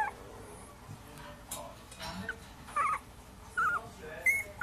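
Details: Puppies heard through human talk and room noise, giving a few short, wavering whines that grow clearer and squeakier toward the end, separated by quiet gaps.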